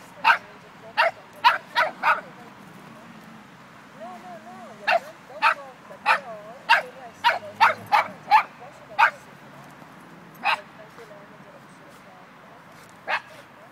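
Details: Dogs, an Irish Wolfhound and a Dogo Argentino: sharp barks in irregular bursts, some in quick runs of three or four, with a person's speaking voice between them.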